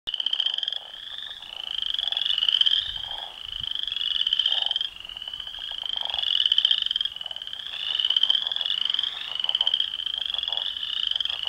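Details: Northern leopard frogs fighting for territory in a pond: rapid rattling, snore-like croaks with a bright rasping edge, overlapping in long pulsed bursts that swell and fade every couple of seconds, with low thumps of water splashing.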